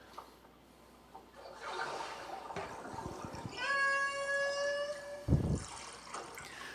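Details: Lone AT1 transient killer whale recorded in 2004 in Thumb Cove near Seward, trying to reach the rest of its pod after breaching and tail-splashing. A steady, flat, harmonic-rich tonal call lasts over a second, with splashing and water noise before it.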